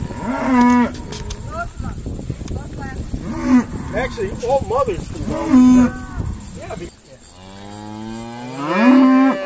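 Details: Irish Dexter cattle during a noisy day of sorting cows on a farm: repeated harmonic moos, several short and one long rising bellow at the end, overlapping calls, steady hum in the background.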